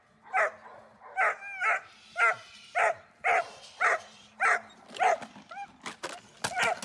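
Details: Dornan, a German Shepherd in protection training, barks in loud, sharp bursts about every half second. The barks are steady and forceful, with a faint low hum underneath and a few clicks near the end.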